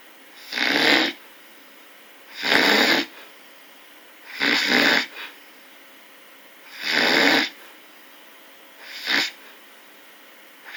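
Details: A bear snores in five rough, airy bursts spaced roughly two seconds apart, each a broad rasp lasting under a second, the last one shorter, with quiet hiss in the gaps.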